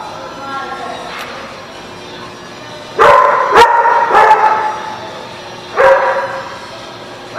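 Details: Dog barking at The Barking Lot, dated 7/1/17: after a quiet stretch, loud harmonic barks come in quick clusters of three or four, pause, then resume in a short, rough burst toward the end.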